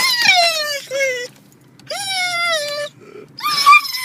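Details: Drawn-out wails from a pet dog thrilled at reaching the dog park: three long, slightly falling whines with brief gaps between them, and a steady low hum behind.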